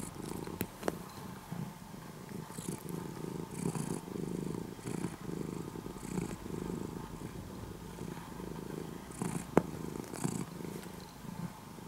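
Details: Orange-and-white cat, once a stray kitten and now nearly a house cat after three years of care, purring in the morning. A steady, low rumbling purr swells and fades in breath-length waves, with a few faint clicks.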